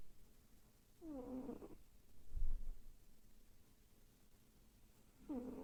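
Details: Domestic cat, female, asleep and twitching, vocal in her sleep: two short, low, moaning murmurs with a slight rise and fall, one early and one at the end, separated by quiet breathing and a soft low thump.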